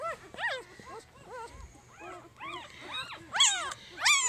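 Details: Jig's three-day-old puppies whine in repeated arched, rising-falling squeaks, roughly one and a half per second, growing louder and shriller toward the end, with a brief low murmur of voice.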